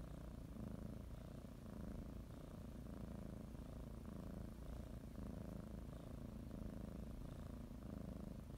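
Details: House cat settling in for a morning nap, kneading and nibbling a blanket; continuous low purr rising and falling in breath cycles about once per second, steady and soothing with no other sounds.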